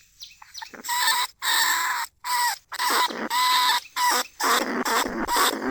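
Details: Caged lesser bandicoot rat in a trap, calling to other rats, recorded live in rice fields at Na Lao, Nong Khu Phai, in Thai year 2569. Harsh, buzzy squeals with a steady tonal core, about two per second, separated by short silent gaps.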